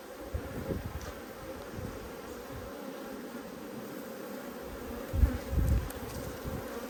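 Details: A continuous, soft, low drone from honey bees in a strong colony short of food during a dearth, recorded at an Australian hive inspection on 5 February 2022. No voices are heard, only a faint thump near the end.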